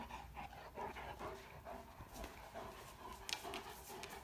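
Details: A female Great Dane puppy pants and huffs in quick rhythmic bursts with soft whiny "talking" tones, play-bowing to urge a cat to play with her in the morning.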